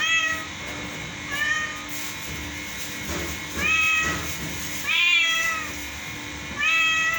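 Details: Domestic cat presented as singing a song, giving four drawn-out meows at irregular intervals. Each meow rises and then falls with rich harmonics. A steady background hum runs throughout.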